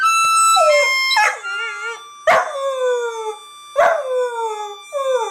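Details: Labrador Retriever puppies giving a run of high, sharply falling whining yelps, four or five bursts spaced about a second apart, each sliding downward and trailing off, over steady background music.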